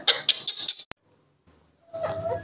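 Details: Newborn baby monkey screaming for milk, kept in care: four sharp, high squeals in quick succession, a short silence, then a softer, wavering tonal cry at the end.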